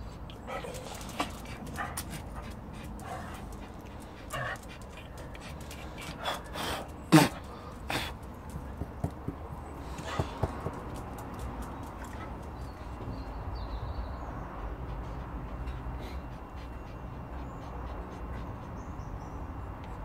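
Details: Frank, a pet Chihuahua, who has kept up this noise for three days straight: short sharp yips and faint whimpers scattered through the stretch. One louder yelp stands out midway, and a person talks nearby about getting a drink of water.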